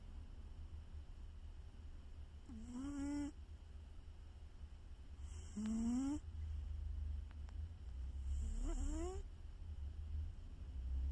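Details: Domestic cat snoring loudly. Three drawn-out, rising nasal snores come about three seconds apart over a steady low rumble.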